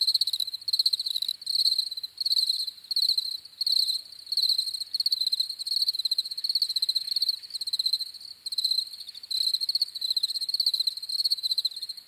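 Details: Chorus of crickets giving high, pulsed chirps in trills of about a second, repeated roughly 83 times a minute with uneven spacing; clean background with nothing else heard.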